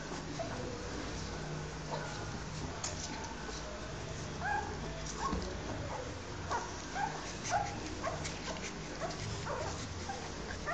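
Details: A Rottweiler mother, Yuki, nurses her newborn litter while the puppies let out scattered brief squeaky whimpers, several short upward-bending cries clustered midway and toward the end, over constant low rumbling and shuffling noise.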